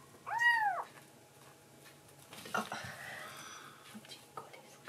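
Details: Fostered tuxedo kitten at night, after a late milk feed, giving a single clear arched meow to its mama as a cute thank-you; then quiet indoor rustling and faint soft sounds follow.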